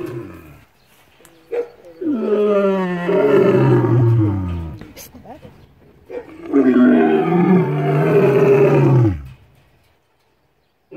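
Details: A captive lion at a wild cat conservation and breeding facility in South Africa, recorded up close, gives two long, deep, moaning roars that slide downward in pitch, a few seconds apart.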